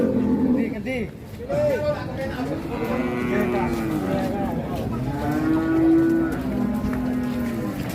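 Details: Big cattle at a crowded Indonesian livestock market: several low, drawn-out moos overlapping, one stronger bellow near six seconds, over background music and people talking.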